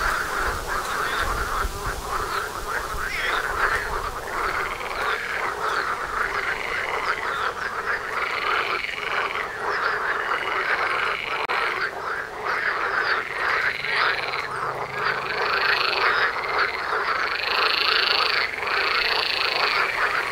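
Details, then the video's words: Many frogs outside a house front door calling in a thick, continuous chorus of pulsed croaks, rising in regular waves and growing louder toward the end. "Froschkonzert vor der Haustüre"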